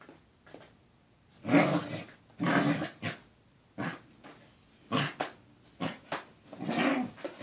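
A corgi makes grumbling, growly bursts of rough, warbling vocal noise while playing.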